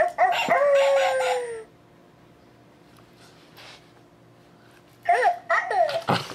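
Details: Lexa, a Doberman puppy once called Bella, going after a talking ball and a stuffed Doberman: a drawn-out tonal howl that slides slowly downward, then a pause, then a quick cluster of sharp yips and barks.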